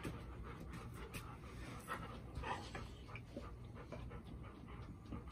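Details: Golden Retrievers Bis, Ibuki and Kohaku at home, Bis uneasy the day after their first meeting; rapid, slightly uneven panting puffs with small knocks and rustles mixed in over a low hum.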